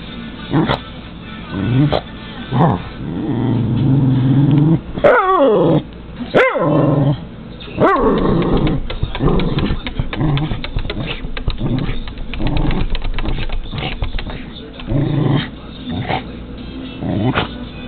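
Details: A male Cairn terrier that hates birds barks and growls in short bursts at crows and seagulls, with music playing underneath.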